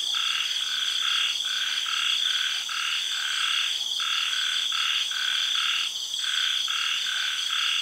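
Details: At night in a Thai tropical garden after early rains, frogs give steady, evenly spaced pulsed croaks, about two per second, beneath a continuous ringing chorus of cicadas and insects.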